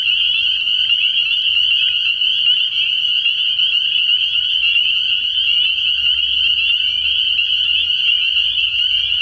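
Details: A frog pond at night early in the year, crowded with spring peepers whose high piercing peeps overlap into a constant shrill ringing that never pauses, over a soft low hum.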